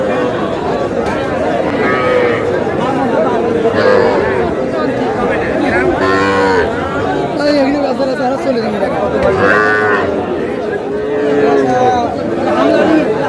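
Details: Cattle, young bulls and heifer calves at a Cumilla cattle market on 21 July, mooing several times with drawn-out harmonic lows about every two to three seconds, amid busy crowd chatter and bargaining voices.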